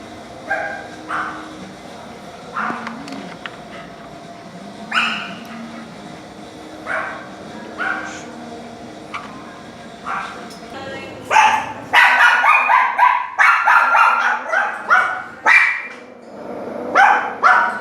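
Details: Chained dogs barking: a few scattered, muffled barks at first, then a burst of loud, rapid overlapping barks in the second half.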